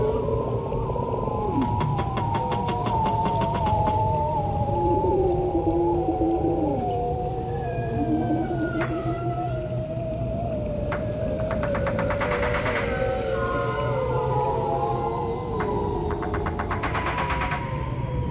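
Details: Bearded seal, locally called ujuk, recorded in the Arctic sea-ice region, producing many long, descending whistles that overlap and glide downward, with occasional rising sweeps and brief bursts of clicking pulses over a low underwater rumble.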